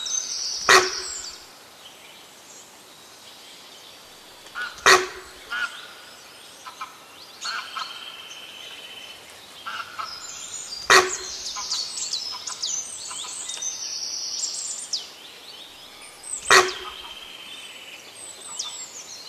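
A sambar gives loud, abrupt honking calls, spaced several seconds apart, over a background of birdsong.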